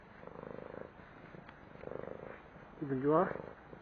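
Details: After a meal, a fed stray cat has its belly rubbed: soft purring pulses, then one brief meow that dips and rises, louder than the rest.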